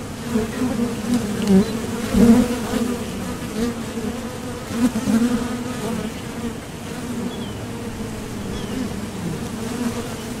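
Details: Honeybees at the entrance of a Top Bar Hive, leaving and landing as they fly out to forage for nectar, their buzz made by the thoracic muscles: a dense, steady hum with a low droning tone and its brighter overtone, swelling briefly as single bees pass close.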